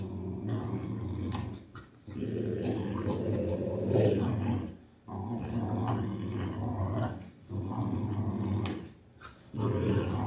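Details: A Boxer at play in a tug of war gives repeated low rumbling growls in bursts of one to two seconds, broken by short pauses and a few sharp clicks or knocks.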